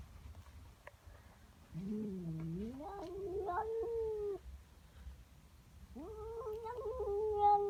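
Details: Female domestic cat growling and yowling in the morning at a neighbour cat in her garden: a low rising moan climbing into a held wail, then a second steadier yowl after a pause.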